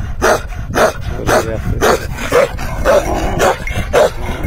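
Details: Bakarwal dog giving a run of deep, rough barks, roughly two every second, fairly even in rhythm and strength, with low background rumble between them.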